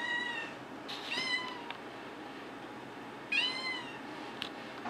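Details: Female Maine Coon cat from a compilation following her from kitten to adult: short high meows in quick pairs near the start, then a pause before another bright rising-falling meow, over a quiet room background.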